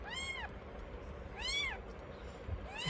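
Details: Pet mother cat in labour, delivering two kittens on New Year's Day 2024, gives two clear arching meows about a second apart. A third meow begins at the end, all over a low steady hiss.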